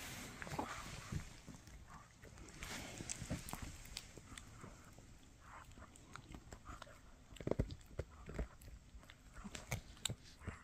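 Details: Mikki, a Shih Tzu, gnaws a no-hide bully stick. Irregular crunchy clicks and soft gnawing scrapes come in clusters, with louder sharp cracks near the end and quiet pauses between bites.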